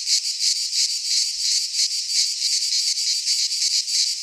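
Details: Greek pine-forest cicadas in midsummer produce an unbroken, high-pitched rasping drone that throbs in quick, even pulses, about three each second, alone in the soundscape.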